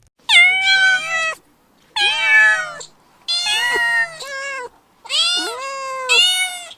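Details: Cat. Four bright, nasal meows from a kitten follow one another with short pauses, some bending upward or wavering in pitch. The calls are clear and dominant, with little else in the background.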